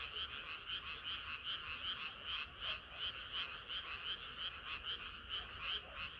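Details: Summer-night chorus of frogs, crisp pulsed croaking at nearly three beats a second, bright and steady, many callers overlapping with little other sound.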